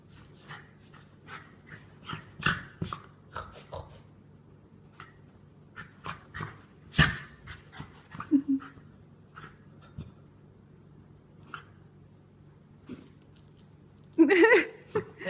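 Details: Rescued pet dog with cancer in a spinning sneezing fit: sharp, breathy snorting bursts come in irregular clusters with quiet gaps, a louder rough burst near the end.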